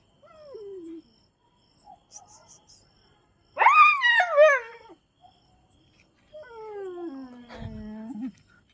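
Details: Chippiparai dog in a small indoor space, whimpering in short falling whines, then a loud wavering high cry that breaks and quivers, and finally a long moan sliding down and holding low, with a brief knock near the end.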